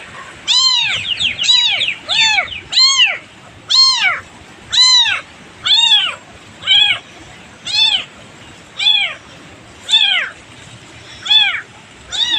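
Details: Distressed kitten separated from its mother in a farming village; clear, high, downward-arching meows repeated roughly once a second, steady and insistent, with little background noise.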